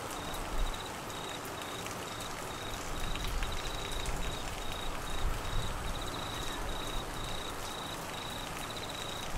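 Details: Monsoon rain in Queensland, Australia, with flooding, and crickets calling: faint, high, pulsed trills recur in a regular broken line over loud rumbling rain and occasional heavier splashes.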